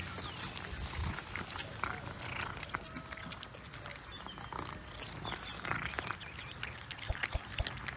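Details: Cats eating fresh sprat with pleasure, filmed close up: dense, wet crunching and chewing clicks run throughout, with small birds chirping in the background outdoors.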